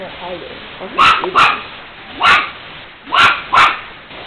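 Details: Pet dog Princess Netta barking at the household cat Tiger while he eats; five sharp barks in two close pairs and a single between, about a second apart, after faint low murmuring at the start.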